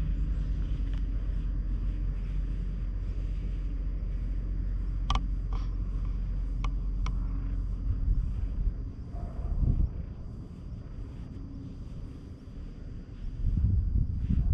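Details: Stray cat met at a shrine purrs on a lap, filmed with a GoPro HERO8: a dense, low rumble for about nine seconds, sharp clicks, then a quieter stretch and shifting handling noise.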